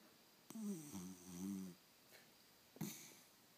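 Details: Bucky, a small 13-inch beagle, snores while dead asleep, sounding much like a human: a raspy, buzzy, wheezing inhalation lasting over a second, then a short sharp snort almost two seconds later, indoors.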